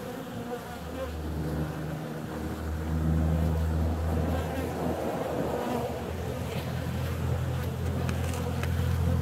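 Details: Honey bees out and about on a warm February day produce a dense, layered low buzzing that swells louder after a few seconds, several wingbeat tones weaving together as bees fly close by.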